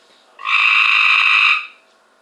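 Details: Cope's gray treefrog caught from a backyard pool: one loud, buzzy trill about a second long, harsh and steady in pitch, rising abruptly and stopping cleanly, with no other sounds.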